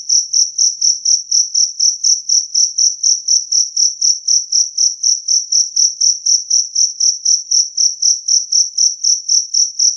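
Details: Jangkrik kalung, or two-spotted cricket, gives a clear, strong chirp used to chase rats away. Around forty piercing, tonal pulses arrive at a steady rate of about four per second. Nothing else is audible.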